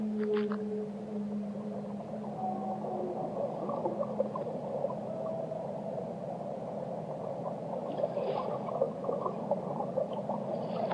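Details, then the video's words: Whale vocalizing with low held tones at the start that fade after a few seconds, followed by softer wavering notes and faint higher flickers, set in a dense background wash of sea noise. "Relaxing Whale Songs - Immerse Yourself in the Melodies of the Deep"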